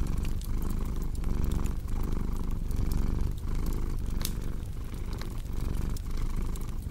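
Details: Deep, throbbing cat purr in steady breath-length swells, accompanied by intermittent pops and crackling of a wood fire.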